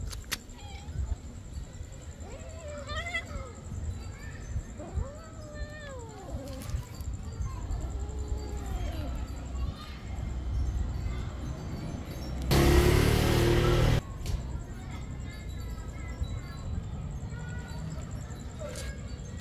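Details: A kitten playing and play-biting with its mother, giving several short rising-falling meows early on, then quieter mews later, with a loud broadband burst of noise midway and a low background rumble.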